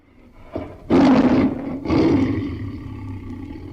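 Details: Tiger roaring: a soft opening grunt, then two loud, rough, drawn-out roars about a second apart, each fading into a low rumble.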